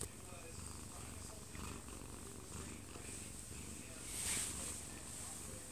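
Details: Sleeping Munchkin cat, one year and two months old with odd eyes, held in its owner's arms indoors; soft, even low purr throughout, overlaid by background television broadcast noise.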